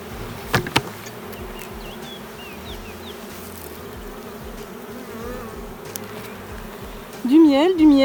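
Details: Honey bees of a sparsely populated hive with no brood, suspected queenless drone-laying colony: constant droning hum, sharp knocks near the start, chirping birds, and a loud wavering tonal whine in the final second.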